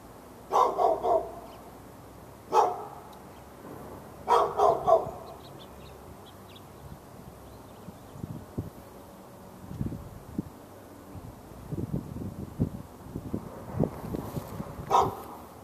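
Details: Pet dog behind a fence in Raleigh, North Carolina, on February 15, 2012, barking at the neighbour's dog during hours of morning-to-afternoon barking: a burst of bark, a single bark, a double-bark cluster, then quieter rustling and knocks before one more bark.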